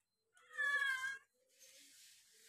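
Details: Kitten meowing while two kittens eat together: one clear, drawn-out meow with a slight rise and fall, followed by soft rustling and eating noises.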